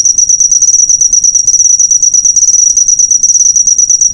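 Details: Cricket chirp used to train cage songbirds: fast, high, metallic pulses run together in a continuous trill, slightly uneven in rhythm, over faint low background noise.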